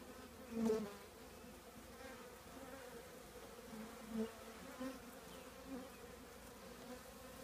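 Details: Low, continuous humming of a honey bee colony nesting inside an old trash can, broken by a louder thump near the start and a few fainter knocks.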